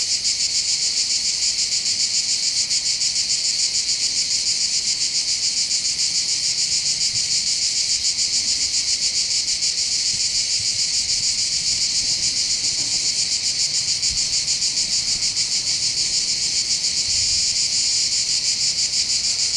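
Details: Cicadas singing steadily over the port of Bandol, Côte d'Azur, France, in summer: loud, shrill, continuous buzz with a quick even throb, a few faint low knocks in the background.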